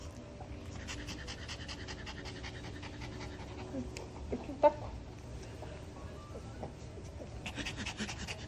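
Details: Panting Maltese dog Dubu indoors, the day before discharge after cruciate ligament surgery. Steady rapid breathy pants run throughout, with one brief sharp squeak in the middle and a low background hum.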